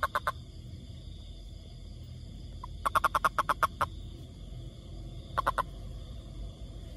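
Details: A toad living in a forest gives short bursts of rapid, rasping pulses, a few at a time, over a low background rumble.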